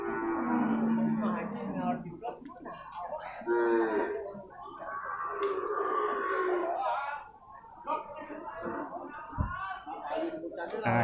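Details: Male water buffalo calves at a market in Purwakarta, Indonesia: wavering, moaning calls rise and fall over the din of a busy crowd, with a clap and voices nearby.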